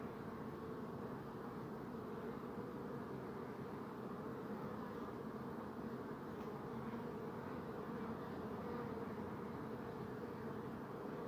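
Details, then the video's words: Bees produce an unbroken low drone, many wings humming at once in a uniform, even texture from start to finish. "Bee Buzzing Sound"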